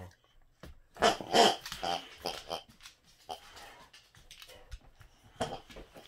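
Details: Boxer dog indoors in a small room, wanting another dog to play: a few throaty grumbling vocal bursts around the first two seconds, then softer scattered noises and a later burst, with a person talking.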